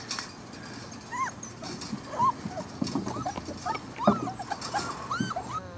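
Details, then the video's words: Pit bull puppies, a litter of ten, crying together: many short high whines that rise and then fall, overlapping in quick bursts, with sharper yips among them over a low steady hum. "Dogs Barking: 10 Pit Bull Puppies"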